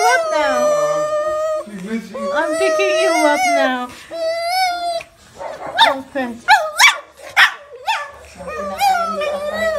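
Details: A female pet Pekingese cries excitedly on being picked up from a kennel after a two-night stay, seemingly greeting her owner. Long wavering high whines with rich overtones fill the first half, then come short sharp yelps mixed with a person talking.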